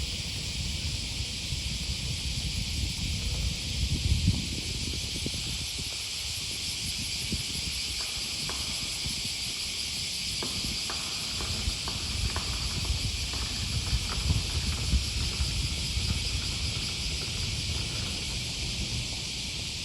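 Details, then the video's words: Cicadas calling on an August morning along the Okawa River near Sakuranomiya Park, Osaka, Japan. A steady, dense, hissing buzz runs unbroken throughout, with low city rumble and the soft thuds of footsteps beneath. "Walking along the river, with the voice of a cicada"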